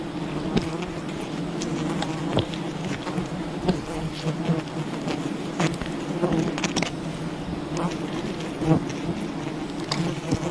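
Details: Massed humming of a wild bee colony while honey is gathered from it, a continuous deep buzz holding one pitch, punctuated by brief taps and rustling knocks.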